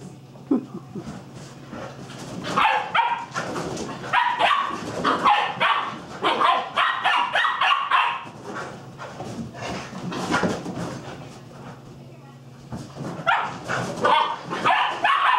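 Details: Young pup Pistol chasing big dog Ryder around a table indoors; repeated sharp barks and yips in bursts, about every half second, with pauses near 2 and 12 seconds, over a steady low hum.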